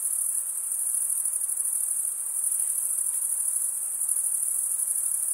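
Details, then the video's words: Continuous high, shrill pulsing trill of crickets chirping by stridulation, mostly males, the level swelling and easing slightly but never stopping. "Most relaxing cricket sound"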